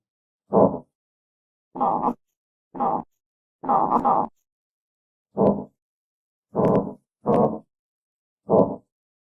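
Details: Eight short, gravelly grunts from an armadillo, coming in an uneven string about once a second, each a dense burst of mid-range noise separated by silence.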